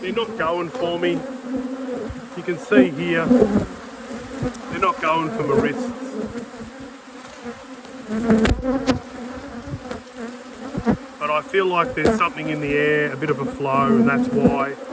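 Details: Apiary honey bees around an open hive during inspection, colonies strong after two years of struggle: continuous droning hum broken by bursts of swooping, wavering buzzes as bees circle near, quieter in the middle stretch.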